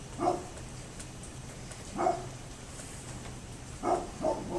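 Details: Neighbour's dog, 27 October 2011, giving single distant barks roughly every two seconds, ending with a quick pair, with a low steady hum underneath.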